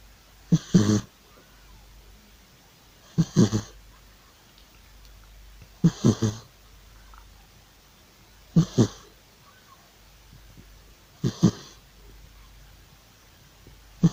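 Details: Old cat loudly snoring in its sleep, rough breathy snores in paired bursts roughly every two and a half seconds, low and raspy with quiet pauses between breaths.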